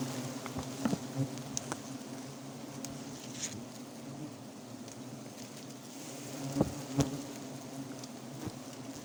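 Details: Forest honey bees buzzing around their wild nest during an immediate honey harvest: a continuous low, layered drone with sporadic sharp taps and crackles, louder pops near the end.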